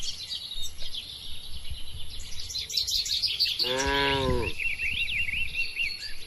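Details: One mid-length, rich moo rises out of a steady wash of bird chirps, from calm tame cattle among dozens held together in a farm pen.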